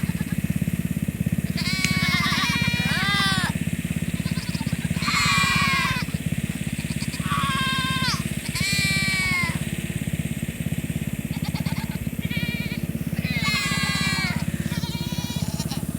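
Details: Nigerian Dwarf does in heat calling loudly to be with the bucks on a farm: wavering, quavering bleats in bursts from several goats, over a constant low engine-like drone.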